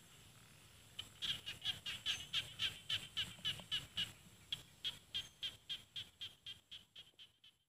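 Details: In rice fields of Thailand's Isan region, a small frog gives a long, rapid series of crisp clicking chirps, roughly four each second. The notes start after a second of near silence, stay strong, then fade toward the end.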